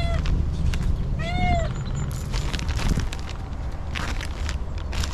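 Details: A stray female cat, hungry and homeless, lets out one short downward meow amid rustling and clattering noises and a low background rumble.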